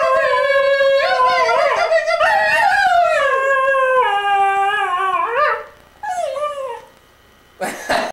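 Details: Cocker Spaniel singing along with its owner indoors: long, wavering, tonal howls that slide up and down for about five seconds, then a shorter falling howl and a brief burst of noise at the end.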